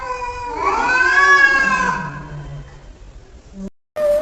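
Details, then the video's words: Domestic cat responding to funny sounds being played: one long, slightly rising then falling meow, fading into a lower trailing tone, followed by an abrupt cut and a brief new sound. "Cats talking"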